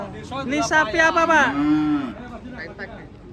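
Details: A loud, rich cattle moo lasting nearly two seconds, bright with harmonics and sliding downward at its close, then softer background voices and music.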